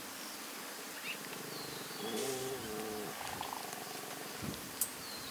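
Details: In the Masai Mara in early November, two small and two tiny lion cubs resting and eating with their mothers make soft, purring grunts and a brief low moaning call, with faint bird whistles behind.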